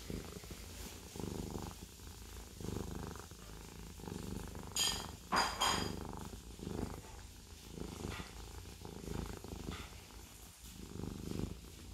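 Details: Siamese cat purring in a low pulsing rumble, interrupted around the middle by a sharp clinking, rattling noise before the steady purr resumes.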